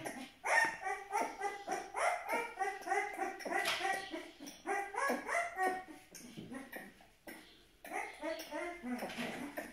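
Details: Twelve-day-old Aksaray Malaklı puppies whine in close, overlapping bursts with high, wavering harmonic cries repeated several times a second. Soft handling noises run beneath.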